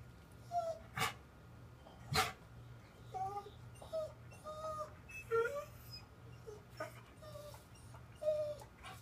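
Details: Dog in time out, told to stay in the corner, whimpering in short high whines and yips repeated through the stretch, with a man's voice speaking to it between whines indoors.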